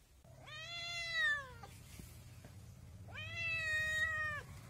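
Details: Two long, clear kitten meows with strong harmonic overtones, each rising then gently falling over about a second and a quarter, separated by a short quiet gap with a couple of faint clicks.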